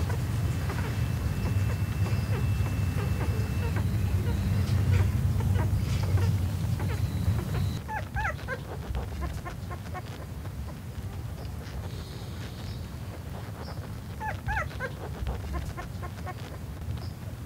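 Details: Six black miniature Dachshund puppies suckling milk from their mother give thin, high squeaks and whimpers in short bursts over a low rumble.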